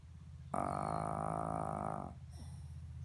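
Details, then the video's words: Shih Tzu named Lolita, asleep and snoring: a drawn-out, buzzy, nasal drone of about one and a half seconds, rich in overtones, then a softer low rumbling breath. "Shih tzu dog - lolita sleeping and snoring"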